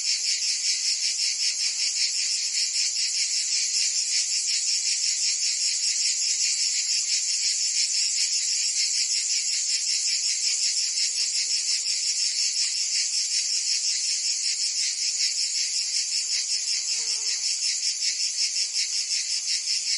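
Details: Cicadas singing in a summer chorus in Provence, France: a continuous dense, high buzzing with a steady rapid pulsing throughout, unbroken for the whole stretch, with no other clear sounds.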